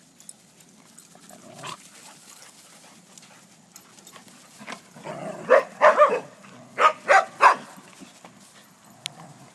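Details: Playing dogs, among them one named Alea, give scattered soft sounds, then a run of five or six quick, loud, harmonic barks and yips bunched together in the second half.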